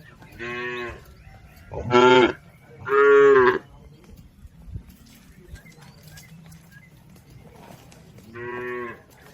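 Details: Tame village cattle herd grazing in a green field: four loud, drawn-out harmonic moos, two close together near the start and one later, with quiet rustling between calls.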